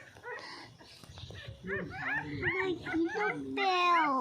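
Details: Little dog feeding on milk. Soft talk gives way to a run of rising-and-falling squeaky whimpers, then one long, wavering whine that ends the stretch.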